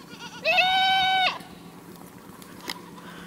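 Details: A single goat gives one steady, nasal bleat lasting under a second, flat in pitch and rich in harmonics, ending in a brief falling tail, followed by quiet background with a faint click.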